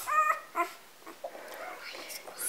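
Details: Sleepy three-day-old Golden Retriever pups, part of a litter of six females and one male on a Vermont farm, make two short tonal whimpers early on, followed by people talking quietly indoors.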